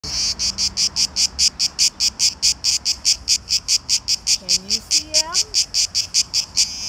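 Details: Male cicadas in Greece, known locally as tzitzikia, calling in summer heat to attract a mate, loudest in the hottest part of the day; harsh high buzzing pulses repeated steadily about two to three times a second, with a brief low whistle-like sound midway.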